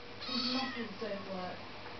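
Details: A Siamese cat answers back when told "get down," giving a drawn-out, wavering meow that sounds a little like a spoken "no."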